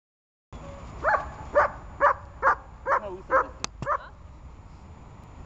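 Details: Dog named Glemmy during barking practice: a run of seven sharp, evenly spaced barks about two per second, each with a brief higher yelp-like peak, ending after four seconds and leaving quiet room tone.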